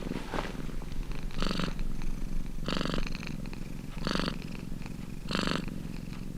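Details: Domestic cat purring steadily, a low continuous rumble with louder breathy surges about every 1.3 seconds as the cat breathes in and out, heard close up in a quiet room.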